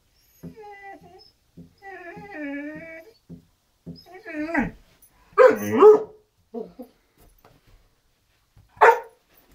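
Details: Janet, a Great Dane, wanting to play with Zoey: a run of high, wavering whines with pitch bends, then harsher, louder yelping barks near the end, one more sharp yip after a pause; indoors.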